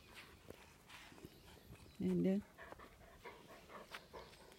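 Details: Great Pyrenees at home on a busy morning, one of two dogs, white female RunRun and grey-eared male Alain, while digging holes and carrying off slippers; one low, harmonic grumbling sound of about half a second, with people talking and household noise around it.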